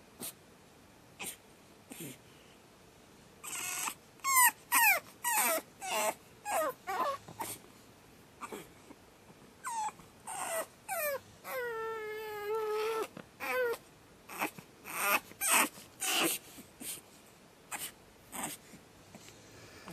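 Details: Second-night screaming from Batman, a pug puppy: a long series of high yelps and falling whines, one drawn-out steady wail in the middle, continuing in irregular bursts about twice a second.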